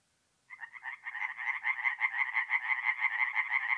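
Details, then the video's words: Tree frogs singing at night at a forest pond in North-East Italy in mid-April: after half a second of silence, a dense run of rapid, raspy croaking pulses begins and builds, repeated about three times per second, with no other sounds. "relaxing forest pond by night with singing tree frogs"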